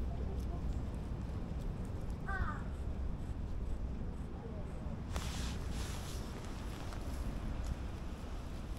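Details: A stray cat, seen again by someone after a long time apart, gives one short, clear meow that bends up and then down. Steady wind noise runs throughout, with rustling and handling noise later.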